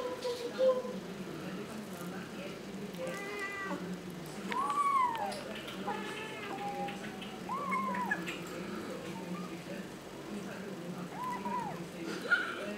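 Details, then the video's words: Kitten tasting fish and rice for the first time, meowing while it eats: a series of short, arched, high-pitched meows spaced a few seconds apart over a steady low background hum. "The kitten eats and meow simultaneously."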